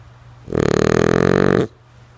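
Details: Lulu, a sleeping female French Bulldog, lets out a single loud, harsh, fluttering snore lasting over a second, starting suddenly and cutting off sharply, in a quiet room with a soft background hum.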